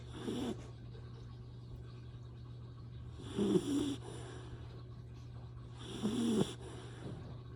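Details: Recently adopted Retriever puppy, three days in its new home, asleep and snoring: three soft, rasping breaths spaced about three seconds apart over a steady low hum.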